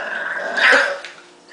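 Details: Marshall, a pet dog, gives a low grumbling growl that swells into a brief gruff bark, while a woman coos that he is mad at mommy but looks so cute.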